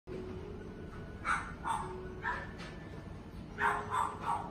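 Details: Male red-coated Shiba Inu dog, born 17 June 2020, giving six short, bright yips in two quick groups of three, separated by a pause, over a faint low hum.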